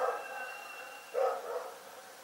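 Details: A dog barking in the night: after a quiet stretch with a faint steady tone, one loud rough bark and a softer trailing second bark.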